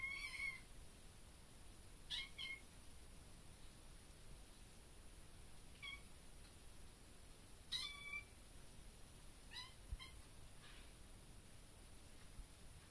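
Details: Young male kitten meowing inside a bedroom, possibly at a bug: brief, high-pitched meows spaced every two to four seconds with quiet gaps between, over a soft steady background hiss.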